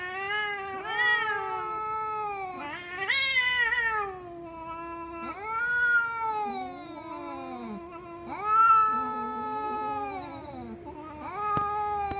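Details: House cat repeating drawn-out yowling meows about every two to three seconds, each an arched, harmonic-rich cry bending down at the end, some overlapping in a wavering chorus-like pattern.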